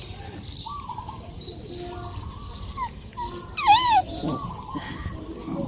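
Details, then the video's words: A dog gives a short, high, wavering whimper that rises and then falls near the middle, over a steady backdrop of chirping birds and faint rural noise. "The sound of dogs"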